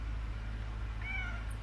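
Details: Old, tiny orange stray cat back home, having its ears cleaned, lets out a short faint meow that slides downward, set against a loud steady low-pitched hum.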